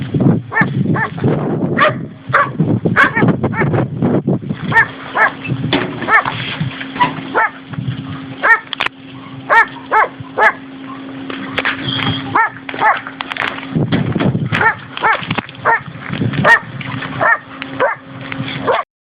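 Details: Dogs, several young and older Labrador and schnauzer crosses in a rural area of Valencia province, Spain, keep up steady, repeated barking with short clipped yaps, some overlapping, over a low background hum.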